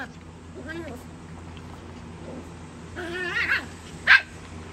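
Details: Young Chihuahuas squabbling over a prize toy. A wavering high yip comes early. Mid-clip, a burst of rising and falling barks follows, then one sharp, loud yap near the end, with a person talking faintly beneath.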